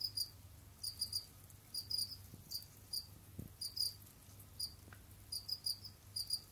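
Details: Captive Gryllus assimilis, Jamaican field crickets kept as pets, moving about and hunting; crisp high-pitched chirps come in clusters of two or three with short gaps, with a soft tap and a steady low hum beneath.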